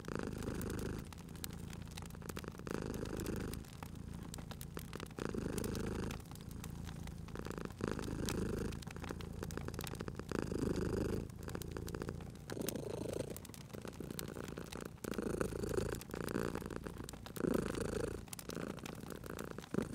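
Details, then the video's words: Cat purring while asleep by a crackling fireplace, cozy spring setting; a soft, low rumble rises and falls in long breaths, partly blurred by dense crackling and popping of the fire. "Cute Purring Cat at a Crackling Fireplace"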